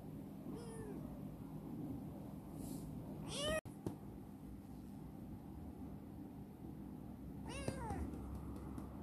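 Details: Three soft, fairly faint meows spaced several seconds apart come from Chibikuro, a rescued black female former stray turned affectionate, kept in a warehouse. A sharp click falls between the second and third meows.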